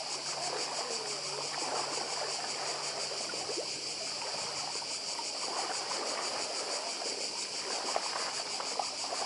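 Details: Continuous high, pulsating cicada drone from Badija island in Croatia, dense and even throughout, layered over the steady hiss and rumble of the sea with brief faint clicks.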